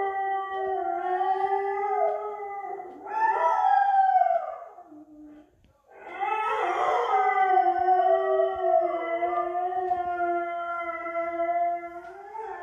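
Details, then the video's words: Two dogs, a Vizsla and a mixed breed, howling together in response to an unknown dog barking outside; long wavering overlapping howls, one rising then falling, a short break, then more sustained layered howling. "Vizsla and Supermutt howling"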